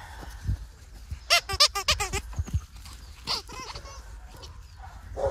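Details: English Labrador Retriever puppies at 14 weeks old, from Jazzy and Gator's litter, recorded 5/24/24. A quick burst of high, harmonic yelping whines comes in rapid succession, followed by a few softer whines, with rustling and handling noise in the background.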